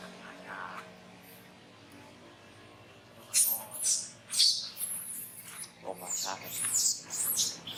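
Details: Young monkey Brady crying while being disciplined by monkey Rose at Angkor Wat Park; after three seconds of quiet background, a run of shrill, harsh high-pitched shrieks and squeals comes in uneven bursts, with brief breaks between outcries.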